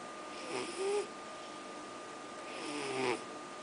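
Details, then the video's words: Sleeping cat named Noro snoring indoors: two soft breathy snores about two seconds apart, each a rasping hiss with a faint tonal whine, over a steady room hum. "いびき野呂 Snoring NORO"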